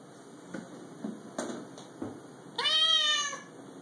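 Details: Domestic cat indoors, annoyed after hearing a recorded cat meowing. A few soft knocks, then one loud, drawn-out meow that rises and falls in an arch, lasting nearly a second, near the end.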